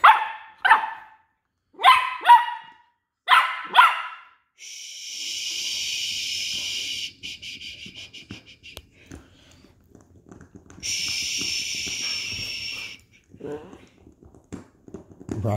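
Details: Westie puppies Rocky and Rudy, West Highland White Terriers, wrestling over a toy; several quick clusters of high yapping barks at first, then long stretches of hissing noise with faint scuffles and a final yelp.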